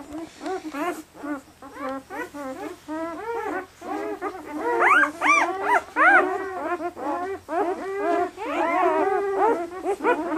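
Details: Red and black German Shepherd pups at 48 hours old, lively, at a New England kennel; dense run of short rising-falling squeaks, a little over two per second, with louder shrill cries midway.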